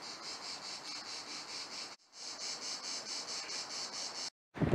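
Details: Cicadas in Montélimar, southern France, heard near a camping-car area on the way into town, sing a dense, pulsing buzz throbbing in rapid beats, with a brief break partway.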